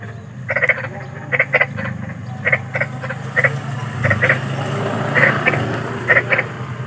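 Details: A large frog gives short, nasal croaks at night, often in quick pairs, about once a second over a low rumble.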